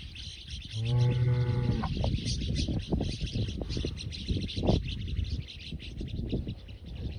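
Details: Aberdeen-Angus bulls being fattened: one low, steady moo of about a second rises above constant hissing and clattering farm noise.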